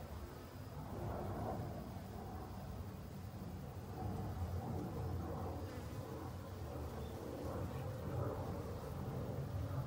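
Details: Honey bees in autumn, busily foraging for food to last the winter: a steady, low droning hum with wavering overtones that swells slightly after the first seconds and runs unbroken to the end, with no other clear sounds.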